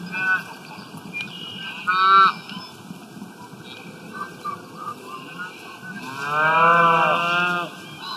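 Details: Cows grazing in the wild, eating grass: a short, strained moo near two seconds, then a longer, louder lowing call lasting almost two seconds, with faint rustling between the calls.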